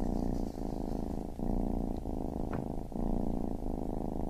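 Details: A baby kitten keeps up a deep vibrating purr, pausing briefly with each breath roughly every 0.7 seconds, and one faint click midway.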